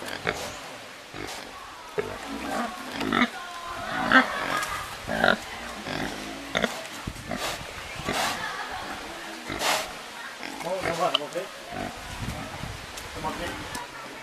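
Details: Domestic pig recorded in Thailand, giving a series of short, harsh, broadband grunts and squeals in irregular bursts. Human voices can be heard in the background.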